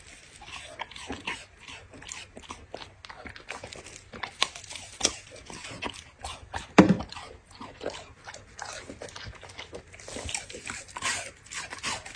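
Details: Dog eating in close-up, steady crackling bites and crunches scattered through the clip, mostly soft with one sharp loud crunch near the middle, faint low background hum.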